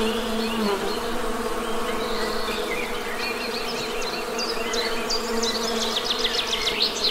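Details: A continuous low, droning buzz from honey bees, with a brief lower hum early on and rapid bird trills and chirps scattered above.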